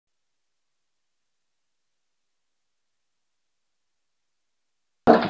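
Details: Five seconds of complete silence end in a short broadband burst of noise.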